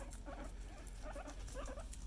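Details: Pet guinea pig giving soft, short murmuring notes in quick irregular succession, low chuttering sounds repeated through the clip over a steady low background hum, recorded quietly indoors.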